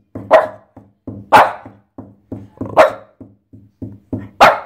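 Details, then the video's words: French Bulldog named Pepsi playing wildly in a bathtub, giving four loud sharp barks about once per second, each followed by short low grunting huffs between them. "FRANZÖSISCHE BULLDOGGE IN DER BADEWANNE DREHT DURCH"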